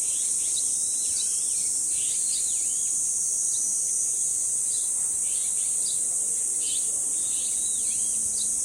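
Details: A continuous shrill cicada drone fills the dangsan shrine grove of Deoksan village. Birds add quick chirps and short down-slurred whistles every second or so.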